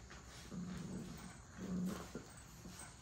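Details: Puppies playing and play-fighting give low, rumbling growls, two drawn-out bursts close together, the second louder and longer, followed by a couple of short grunts against a quiet indoor background.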